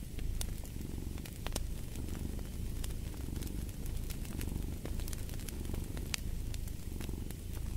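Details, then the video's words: Domestic cat purring beside a fireplace: a continuous low rumbling purr in slow swelling waves as the cat breathes in and out, with sharp crackles and pops from the burning fire scattered throughout. "Fall asleep to the Purring of a Cat & Fireplace"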